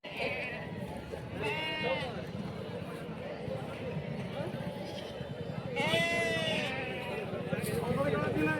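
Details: Sheep at the Loni ram market in a busy rural livestock bazaar; two loud quavering bleats, one near the start and one about two-thirds through, over steady crowd chatter and speech.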